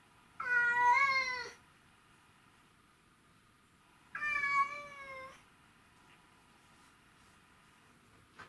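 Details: A white-and-ginger male Domestic Shorthair cat, said to miss his owner, gives two drawn-out, tonal meows several seconds apart, 12 August 2018.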